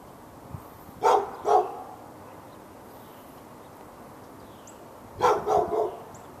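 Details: Domestic dog behind a fence in Raleigh, North Carolina, barking at the neighbouring dog on February 15, 2012, during barking that went on all morning into the afternoon. Two sharp barks in quick succession, a pause of several seconds, then a rapid burst of three.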